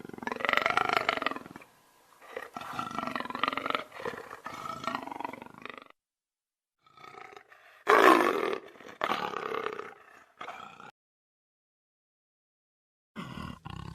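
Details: Lion roaring in harsh, rasping bursts: a long growl for about six seconds, a pause, then a louder strained roar and shorter rough calls, separated by silent gaps.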